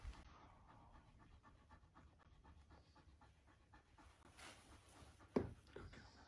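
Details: Quiet, quick husky panting runs steadily throughout as it meets a new puppy for the first time, broken once by a sharp click-like sound near the end.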